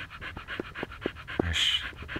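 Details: Siberian Husky Lucky in Pleven breathing in quick, airy pants about four per second, with a sharp click and a short high squeak near the end.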